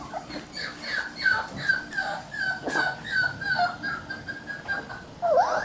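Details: Red Shiba Inu male puppy born on June 27, crying steadily indoors with a long series of high, nasal whines, each slightly falling, about two per second, ending on a louder upward-bending yelp.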